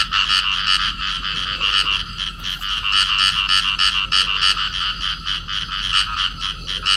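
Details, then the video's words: Field frogs, a pair clasped in amplexus, calling: rapid rasping pulses about three per second, layered bright harmonics, steady dense croaking throughout with no other clear sounds. "cặp nhái đồng ôm nhau kêu"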